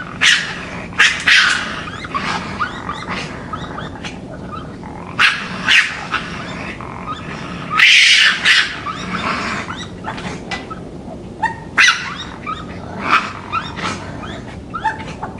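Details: Raccoon in its natural forest habitat, nocturnal, with a busy stretch of rough growls and snarling squeals, many short harsh bursts and one longer loud outburst midway, irregularly spaced against faint background hiss.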